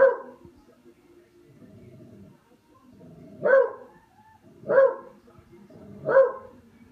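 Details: Buster the pet dog, playing with a katydid bug, gives sharp barks, four loud ones spaced about a second apart, with soft low murmuring and rustling between them.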